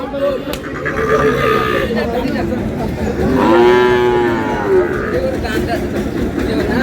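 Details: At the start of the Monday cattle market in Ambari, Dinajpur, Bangladesh, on 11 May, with Sahiwal bull calves on sale. One loud, sustained moo rises and falls midway through, surrounded by haggling voices and crowd noise.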